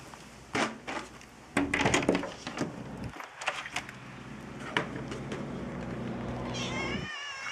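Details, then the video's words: Feral cats at feeding time at Evergreen Valley College, among them a tortoiseshell named Misha; short meows and a rising, wavering cry near the end, over a constant loud hum from an electrical transformer, with clattering and rustling. "Feral cat feeding time"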